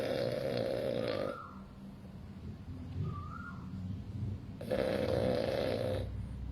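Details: A male French Bulldog, born August 2020, snores loudly, each rasping breath buzzing with a nasal whistle.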